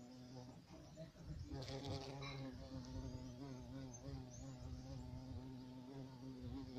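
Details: European carpenter bee, a large black bee common in central and southern Europe including Iberia, giving a steady low droning buzz with rich harmonics, pitch wavering slightly; brief rustling noise near two seconds.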